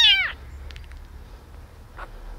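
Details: Tiny abandoned baby kitten rescued from a box on the street: one loud, high, falling meow at the start, then quiet rustling and a faint second call near the end.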